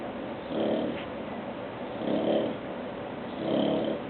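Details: Bulldog Porter snoring while awake: soft, rumbling snore-like breaths in three swells about every one and a half seconds, each with a nasal, tonal buzz, over a steady low hiss.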